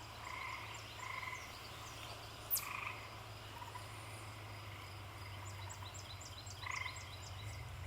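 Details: In spring, tree frogs sing from a home garden with short, buzzy trilled calls every second or two over the low rumble of a passing car.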